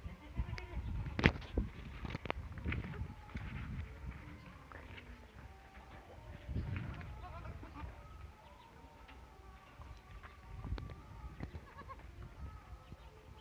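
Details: Goat bleating: a few faint, drawn-out, wavering calls in the middle and later stretch, set against heavy low thumping, rustling and scattered knocks close to the recorder.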